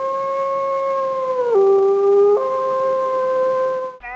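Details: Recorded lonesome howl of a gray wolf, given by a wolf separated from its pack to locate it; a sustained, pure, harmonic-rich howl holds a steady pitch, dips lower midway for about a second, then returns before ending abruptly.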